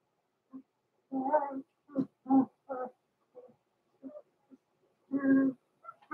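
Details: Cavalier King Charles Spaniel puppies, blenheim, born November 14, 2022, in a small litter kept in a home puppy pen; Roman and Blue give harsh, buzzy yelps and grunts in uneven bursts, with softer whimpers in between.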